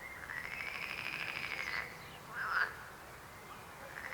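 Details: Frog calling with a long, even, pulsed trill lasting nearly two seconds, followed by a brief louder rasping croak, against a quiet background.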